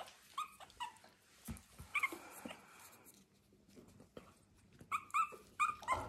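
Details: Young puppies with misty eyes, still learning to see and teething, explore a slippery linoleum floor on an Irish farm in County Kilkenny, giving soft, squeaky murmurs, little whines and baby growls in short bursts.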